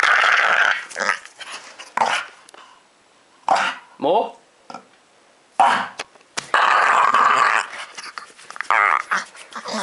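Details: Pet dog Ozzy, two years old, July 2012, demanding more scratching with sliding, whiny growls, several brief bursts separated by pauses, overlapped by a person talking indoors.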